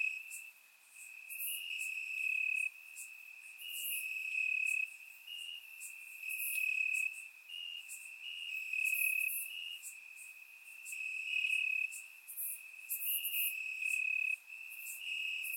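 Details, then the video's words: Grass crickets chirping through a warm summer night in Bulgaria, recorded with a surround microphone; one sustained high-pitched trill underlies frequent airy chirp bursts, loudness rising and dipping in waves. "Cricket Sounds - Crickets Chirping at Night"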